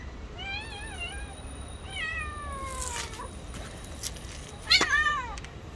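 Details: Street cat defending its territory and attacking another cat: wavering drawn-out meows, then a falling wail and a sharp high cry near the end, over steady outdoor background hum.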